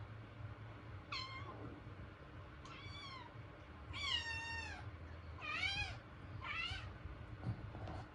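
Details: Kitten calling indoors; five clear high meows, some rising then falling, about one per second, over a low steady background hum.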